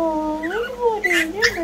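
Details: Brussels Griffon puppies: a drawn-out, tonal whine that slides up and then down, with two brief, sharper rises near the end, in a quiet room.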